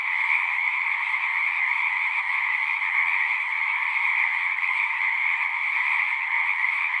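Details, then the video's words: Frogs singing at a pond in a horse pasture, recorded with a Zoom 6: a dense, unbroken chorus of trilling calls forming two steady bands, one bright and high, one lower, with no pauses. "Frogs singing"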